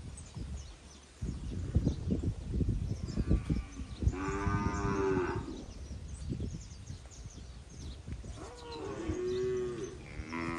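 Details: Forty Nelore and industrial crossbred calves, eight months old, near Jales, São Paulo, give two long, strained bellows with rich harmonics midway and near the end, amid steady low pen noise and thuds.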